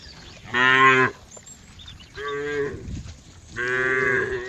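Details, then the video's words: Cow mooing three times in about four seconds: a loud harmonic moo, a shorter lower one, then a third rising and bright, each around half a second long, in a quiet setting. "cow funny sound"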